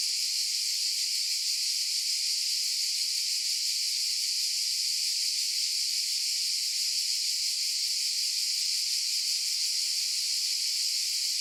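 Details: Cicadas producing a sustained, shrill, whirring buzz, flat and continuous from start to finish, with no gaps or other noises.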